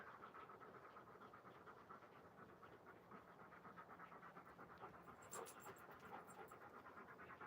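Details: Alaskan Malamute panting outdoors during play, from a live stream of the malamutes Moose and Raven; quiet, rhythmic, breathy pants at roughly 83 per minute, soft and steady throughout, with a brief brighter click near the end.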